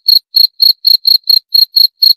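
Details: Short run of nine piercing cricket chirps, evenly timed and each slightly buzzy, separated by silent gaps with nothing else audible.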